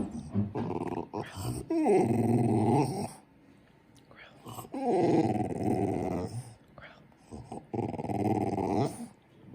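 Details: Male French Bulldog indoors growling after sneezing: three long, low, rumbling growls of one to two seconds each, with short snorts between and quiet background music.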